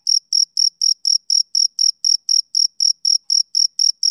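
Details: Male cricket giving a rhythmic chirp, evenly spaced high-pitched pulses at roughly four per second against silence.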